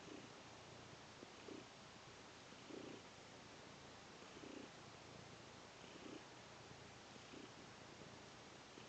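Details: Domestic cat purring while kneading on a sheepskin: a soft, low rumble that swells in regular pulses about every one and a half seconds over steady faint hiss.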